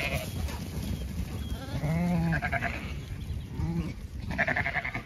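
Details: Zwartbles sheep on a regenerative farm in County Kilkenny, Ireland, walking through an orchard in bloom in the evening. A wavering, quavering bleat rings out near two seconds. A shorter bleat follows, then a brighter bleat at the end, over low rumbling background noise.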